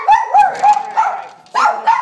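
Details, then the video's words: Poodle and papillon in a home barking as a problem before training: fast, high-pitched, slightly tonal yaps in quick succession with a brief pause midway. "Poodle and Papillon Stop Barking"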